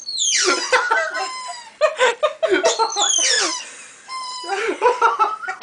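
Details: Chihuahua puppy squeaking while wondering; high squeaky whines that slide downward, repeated in quick clusters of short squeals.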